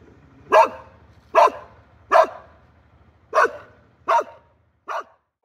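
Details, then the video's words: Domestic dog barking in a clean, quiet recording: six sharp, separate barks roughly a second apart, with the last one softer and shorter, and no other sounds. "DOGS BARKING"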